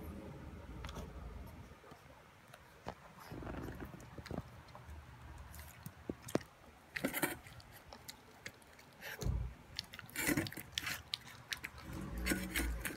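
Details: Eleven-week-old Boston Terrier puppy Toby at his first raw beef meal with vegetables and yogurt, making sharp crunching bites and smacking chews in uneven clusters, louder bursts near the middle and end, indoors.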